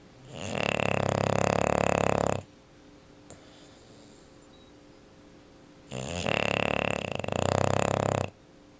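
An English Bulldog snores in loud, rattling, fluttering breaths separated by quiet pauses.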